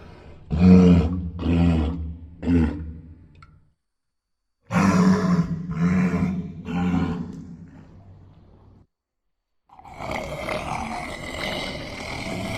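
A walrus gives deep, rough roars in quick pulsed bursts, two bouts separated by a pause.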